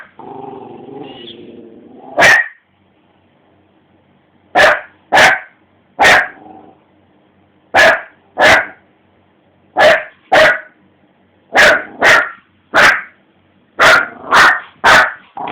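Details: At three in the morning a dog confronts its reflection on the television, starting with a low growl, then firing roughly fourteen sharp, loud barks, many in rapid doubles, with short silences between.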